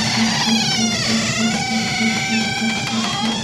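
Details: Puck, a male pet cat that waits at the door and howls because he misses his owner, before the door opens: a long, drawn-out, wavering yowl of rich harmonics, bending up and down over several seconds, with a steady low hum beneath.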